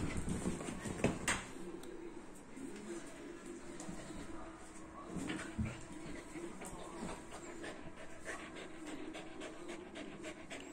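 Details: Whippet meeting its owner again after ten days, panting in quick, uneven breaths, with thumps and rustling and faint voices in the background.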